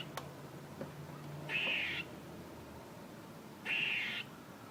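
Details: A squirrel gives two harsh, raspy, hissing bursts, each about half a second long and a little over two seconds apart, with quiet background between them.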